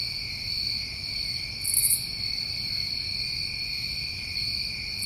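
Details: New England crickets on a summer night: continuous shrill trilling in overlapping high bands, unbroken from start to end, one short sharper buzz just before the second mark, quiet low background hum.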